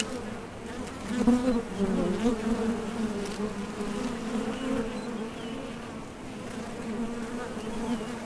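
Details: Honey bees flying in and out of a Top Bar Hive entrance while gathering nectar; a dense, humming drone of vibrating thoracic muscles, louder early as bees pass close, then settling into a steady, wavering buzz.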